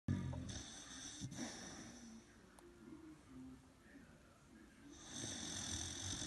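An Old English Bulldog snores in low, rumbling, rasping breaths that swell and fade.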